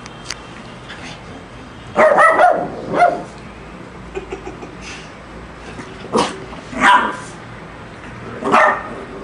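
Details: Lhasa Apso dog barking at a shark: sharp, bright barks in short bursts around two, three, six, seven and eight and a half seconds, some doubled, with quiet room background between.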